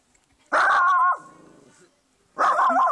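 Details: Shih Tzu dog barking protectively at a garden gnome in a garden: two loud, harsh, tonal barks about two seconds apart, the first trailing into a low growl.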